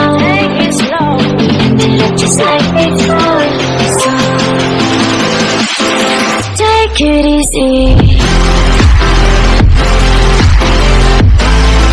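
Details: Loud electronic dance music with heavy bass drops fills the recording, with no animal sound audible.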